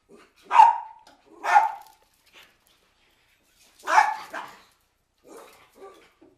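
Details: Cairn Terriers barking with a storm approaching: two loud barks about a second apart, a pause, then a doubled bark followed by softer yips.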